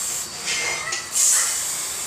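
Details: A Russell's viper caught in a house in Kadi lets out a harsh, breathy hiss in two bursts. The second burst is louder and longer. A steady high-pitched noise runs underneath.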